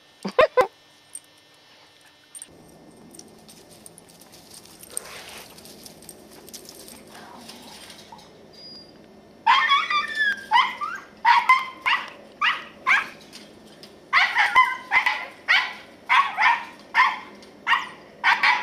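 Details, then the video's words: Katie, a 10-year-old female Scottish Terrier, on squirrel patrol in the yard in November 2008. Mostly quiet at first with a few brief sounds, then rapid, sharp barks repeat about every half second through the second half. "Scottie Squirrel Patrol"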